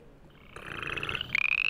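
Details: An upland chorus frog gives a distinctive rising, rasping trill like a thumb running along a comb's teeth, a call heard at night in January or February near ephemeral water in woods.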